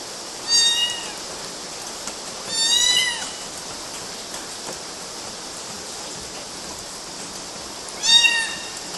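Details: Kittens clambering on mosquito nets in Galati, Romania, June 2012, call out three clear, high, harmonic-rich meows, each under a second, spaced about two to five seconds apart, over steady hiss.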